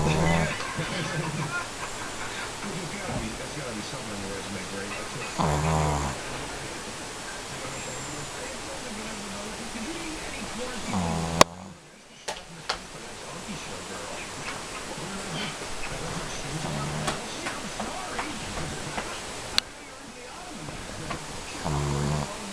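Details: A Shih Tzu caught sleeping snores in slow, buzzy, rasping bursts roughly every five to six seconds.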